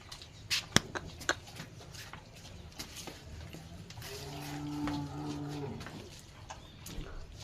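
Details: A Gir cow among cattle kept for sale on a farm gives a single low, steady moo lasting about a second and a half, preceded by sharp knocks and clicks, with faint talk nearby.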